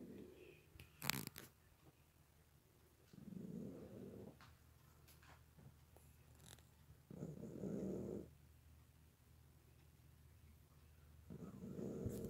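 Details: Pet cat snoring very loudly while asleep; rough, breathy rasping snores about a second long, repeating roughly every four seconds with quiet gaps between, plus a few faint clicks and a low steady hum.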